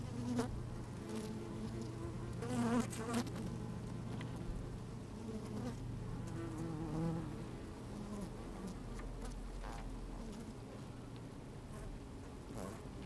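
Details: Inside an open beehive on a sunny, slightly windy day, worker honey bees move about the frames: continuous droning hum, wavering buzz swells around the middle, scattered ticks and rustles from bodies brushing the microphone.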